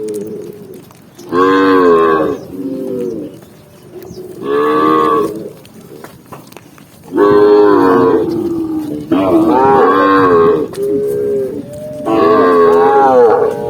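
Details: Tame cattle herd walking along a green forest path, mooing in five loud harmonic calls of about a second each, separated by quieter lowing and short pauses.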